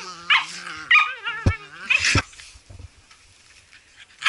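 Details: Blue Heelers at play, several dogs: high, wavering whines sliding up and down, with short sharp yips and a couple of abrupt thumping barks in the first two seconds, then quieter rustling.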